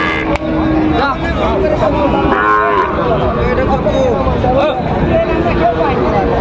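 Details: Sahiwal bull calves for sale at Raniganj market, Dinajpur, on 29 August 2024: a short, bright moo rises at mid-clip, followed by fainter bending lows, all over loud market chatter.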